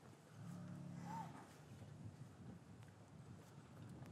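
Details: Cow lowing in an English cattle yard on a winter afternoon, calves separated from their mothers, recorded with a matched pair of Rode M5s: one short, deep, harmonic moo under a second, with a brief chirp above and yard rustling after.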